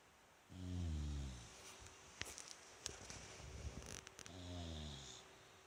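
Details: Bulldog Rikyu asleep in a cute pose at home, 29 November 2016: two soft, gurgling low snores about three and a half seconds apart, with faint clicks and rustling in the quiet room between them.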